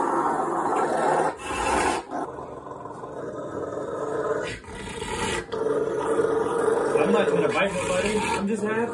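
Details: Rottweiler named Bear growling while playing, sounding vicious but happy and wanting his towel; a long, rough, rasping rumble held for seconds with brief pauses between bouts.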